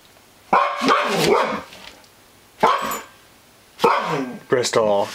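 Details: Female husky described as wolf-like, vocalising at an elk mount she does not trust after it was brought home: drawn-out, wavering, moaning calls that bend up and down in pitch, in four bursts, mixed with a man's encouraging voice.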